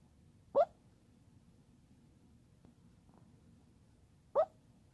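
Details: Gizmo, a Chihuahua, dreaming while asleep: two short, high, squeaky yips about four seconds apart, each a quick rising-and-falling burst, with near silence between them in a quiet indoor setting.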